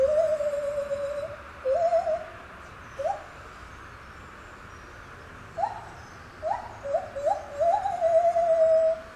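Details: Lar gibbon in captivity at Safaripark Beekse Bergen, singing on 9 July 2021: a long quavering note, scattered short upward whoops after a quiet spell, ending in a quick cluster of rising notes and a sustained tone.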